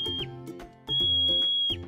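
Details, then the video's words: A marmot gives a high, piercing alarm whistle, one clipped note then a long steady one, over music; marmots use these whistles to warn colony members of predators such as eagles or foxes. "See that? That's a marmot's alarm call."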